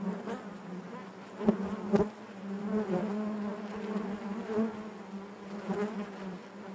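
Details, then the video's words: Inside a honey bee hive, a continuous low hum of many bees holds steady throughout, rising slightly in the middle with a few sharp knocks early on and gentle fluctuations in loudness. "bees therapy hive natural buzzing sound"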